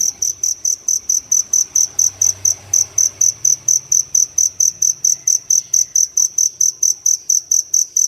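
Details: Fire cricket, dế lửa, that entered a house in the city one early morning and sings boisterously from a hole; steady train of piercing high chirps about twice per second over a faint low indoor hum.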